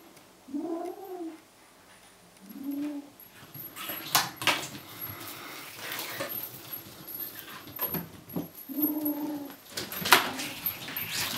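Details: Furry kitten clutching a toy and trying to get away, answering threats with owl-like sounds: three low, arched, hooting growls, the first a double, spaced a few seconds apart, between bursts of clattering and scuffling indoors.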